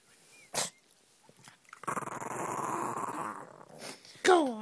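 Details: Shih Tzu female, upset at being held on her back, gives a sustained rough growl of about two seconds between short bursts of human speech and handling noise in a small room.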